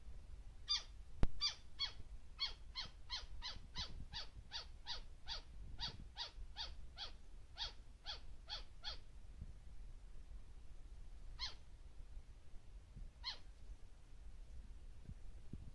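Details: White-faced flying squirrel, the Taiwan endemic subspecies Petaurista alborufus lena, recorded on the North Dawu Mountain National Trail, Taiwan, on 2 March 2018. It gives a rapid run of about twenty short, sharp, downslurred calls, roughly three per second, then two lone calls after a pause.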